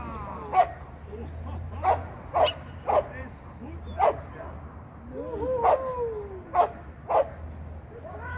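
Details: Shetland sheepdog barking in training lesson 9, 8 November 2022: eight crisp, clipped barks spaced roughly half a second to a second and a half apart, with a person speaking softly between them and a faint low hum.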